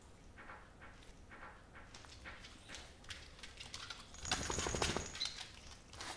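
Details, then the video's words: Welsh Corgi named Tangza eating Stella & Chewy's cage-free stew wet dog food indoors; soft, wet clicking chews repeat about four times a second, then a louder clattering, smacking burst near the end. "강아지먹방 / DOG ASMR / 웰시코기탱자 / 강아지습식사료"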